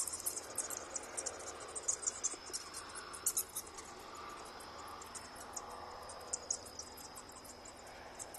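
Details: Bats flying at night from a colony of over a thousand in a storeroom roof give sharp, high clicking chirps in uneven clusters, busiest at the start, over a thin continuous high tone.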